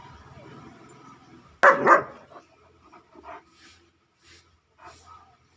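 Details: A 9-month-old German Shepherd lets out a single sharp, explosive bark, followed by a few quieter, higher yelps and whimpers spaced about a second apart, with a faint background hum under the opening.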